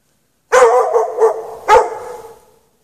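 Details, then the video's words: A dog chained out in the snow without shelter on a March night, 8 PM to past 11:30 PM, gives a burst of rough barks, two quick then a louder one, trailing off into echo. "Dog barking chained out in the snow"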